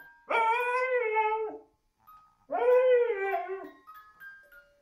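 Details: A husky "sings" along with a Christmas music box, giving two long, drawn-out howls with a tonal, wavering quality while soft music-box notes tinkle between them.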